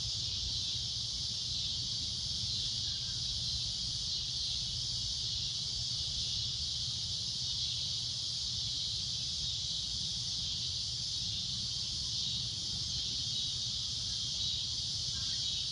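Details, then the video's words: Long unbroken shrill drone from a cicada at sunset, the high buzzing staying even and loud throughout, with low background rumble and a couple of faint distant calls. "Cicada A Loud Shrill Droning Noise"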